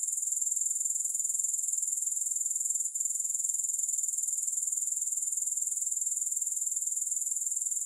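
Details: Grasshopper chorus with no music, a continuous shrill buzzing trill of fast regular pulses, unbroken apart from one momentary click-like gap; no other sounds.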